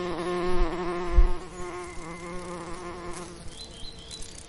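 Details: Summer lavender scene with a bee droning close by: a loud, steady hum that sweeps slightly in pitch as the insect passes, then fades away, leaving soft distant bird twitters and low wind rumble.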